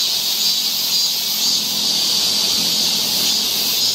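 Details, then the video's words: Summer cicada chorus on a forest trail in Seoul, Korea, a dense shrill buzz held at constant loudness, with a slight shimmering pulse and nothing else standing out. "cicada sound"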